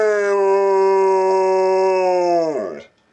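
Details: Pet dog Benny howls indoors, prompted by imitations of the ringing phone he answers with howls: one long sustained harmonic tone lasting over two seconds, nearly flat in pitch, then dropping sharply and fading out at the end.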